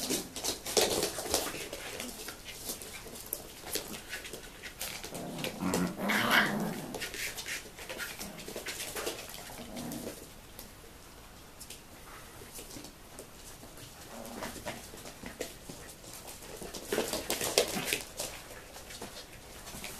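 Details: Tibetan Terrier grandmother teaching her seven-week-old puppies at a kennel in 2015. Low growls and grumbles mix with whimpers and short yips, rising in a few louder bursts.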